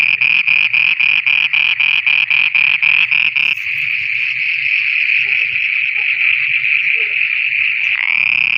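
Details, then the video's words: Frogs singing at night in Pakistan, opening with evenly spaced pulsed calls about four per second, then blending into a steady unbroken high-pitched trill with faint lower croaking beneath. "Frogs singing at night"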